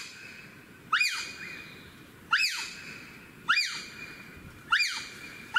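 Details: Wild bonobos in Africa giving alarm calls after meeting wild boars, which they fear, as they climb trees rapidly; sharp shrill calls rising then falling, repeated roughly every second and a quarter, over a faint steady background hiss.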